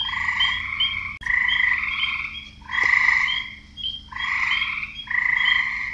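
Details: Courting male frogs croaking, longer drawn-out rasping calls of one to two seconds alternating with short pauses, accompanied by high thin chirping notes and a brief click near the start.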